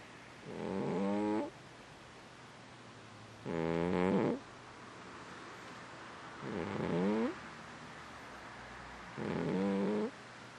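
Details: Sleeping domestic cat snoring: four rasping, buzzy breaths of about a second each, spaced roughly three seconds apart, over a steady low room hum.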